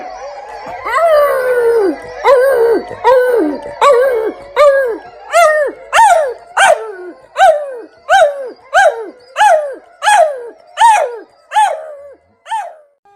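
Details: A dog howls in a run of short, bark-like yowls, each one rising sharply then sliding down. About fifteen regular bursts come roughly every 0.7 seconds, beginning as blurred wails and becoming crisper, quieter barks toward the end.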